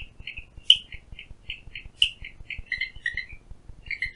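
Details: Clicking Stream Frog at Phillipskop Mountain Reserve, Stanford, South Africa, heard from a window: quick bright clicks about every quarter second, two sharper cracks among them, and a lower-pitched pair of notes near the end.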